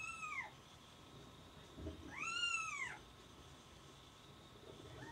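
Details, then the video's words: Kittens calling: a short meow at the start, a louder drawn-out arched mew a couple of seconds later, and another beginning at the end, over a steady background hum. "alice's kittens"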